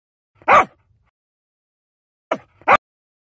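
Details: Dog barking: one sharp, loud bark, a pause of nearly two seconds, then two quick barks in close succession against an otherwise silent background.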